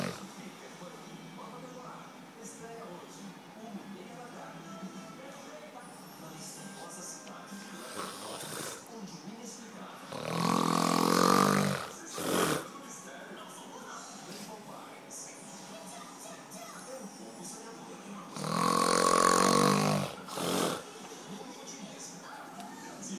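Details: Ramon, a huge tortoise, snoring and screaming: two loud, rasping, breathy bursts about eight seconds apart, each lasting roughly two seconds, with a faint tonal edge, over a steady background of music and talk.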